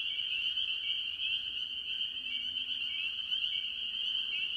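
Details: Mixed tree frogs, mostly spring peepers, at a farm pond early in the year; a constant high-pitched peeping chorus rings without pause, with short lower trills surfacing near the middle and end.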